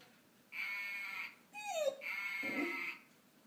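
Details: A female golden retriever's first vocalizations, described as singing: a brief whining howl sliding downward between two long, steady, high sustained tones, with a low murmur under the second tone.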